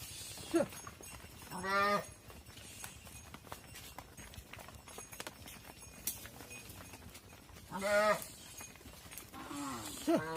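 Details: Farm cattle, with mother cows entering a barn and their calves kept outside: separate mid-pitched bawls, one near the start, then a long quiet stretch of barn noise, then two more calls close together near the end.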